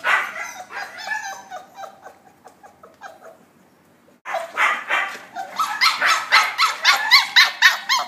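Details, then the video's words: Puppies socializing with rapid high-pitched yips: a softer stretch fading to near silence, then a sudden loud return of quick, regular yapping, roughly four calls per second. "Puppies giao lưu"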